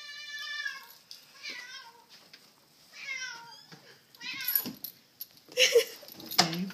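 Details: A nine-month-old male Cheetoh cat greets its owners after several days alone in the house, a breed described as very loyal. It gives a run of drawn-out, wavering, harmonic meows, some falling in pitch, followed by rustling and handling noises indoors.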